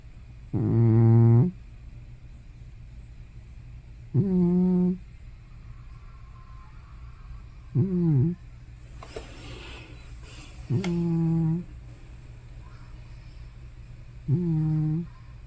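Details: Elderly pet cat Hana, likely over 15 years old, sleeps and makes loud noises like snoring or sleep-talking. Five short, throaty voiced groans are spaced about three to four seconds apart, with a brief rustle between two of them.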